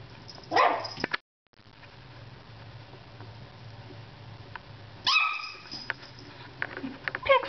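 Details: A pet dog barks indoors because the cat ignores her; a few short yipping barks near the start and again around five seconds, with quiet room hum in between.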